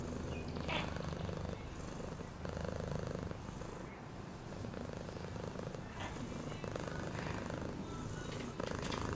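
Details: Deep, pulsing purr of a cat, rumbling in repeated breath cycles about every two seconds, with quiet scattered chirps and clicks around it.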